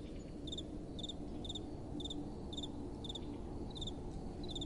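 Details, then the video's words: Nighttime crickets give sharp paired high chirps at a steady pace, roughly twice a second, with faint fainter chirping behind and a low, even wind noise. "Relaxing Night Time Sounds | Crickets & Soft Wind"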